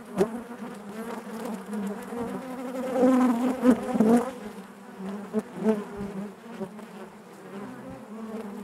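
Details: Honey bees droning within the hive, many wings blending into a steady hum that grows louder between three and four seconds as bees crowd near, then eases to an even murmur.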